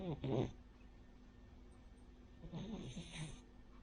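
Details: Rin, a sleeping Cavalier King Charles Spaniel of a flat-nosed breed, snores like a pug or bulldog: two rough, breathy snorts about two and a half seconds apart in a quiet room.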